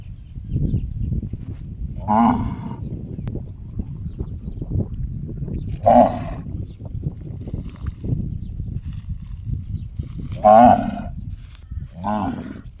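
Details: Cow making gong-like calls: four short, clanging, resonant notes at irregular gaps of two to four seconds, the second and third loudest, with low rumbling noise throughout.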